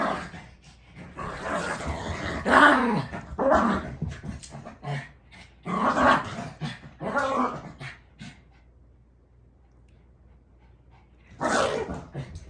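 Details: Pet dog Mitzi growls and barks in several bursts over the first eight seconds, then falls quiet before one last sharp outburst near the end.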